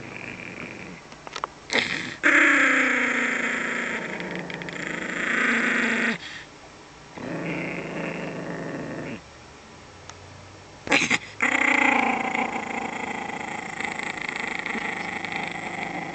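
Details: Small dog guarding a bone, growling in long, rough, harmonic bursts of several seconds each, broken by short pauses and sharp louder snarls.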